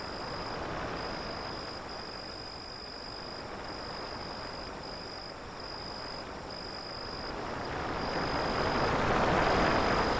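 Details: Crickets chirping in a steady high-pitched pulsed trill, about four pulses per second, behind the loud, swelling rush of ocean waves that dominates the recording and rises toward the end.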